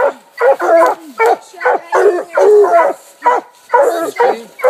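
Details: Four coonhounds, two walkers, a blue tick and a black and tan, bark at a treed raccoon at a new hunting spot; hoarse, choppy barks come in rapid bursts about every half second, several dogs overlapping.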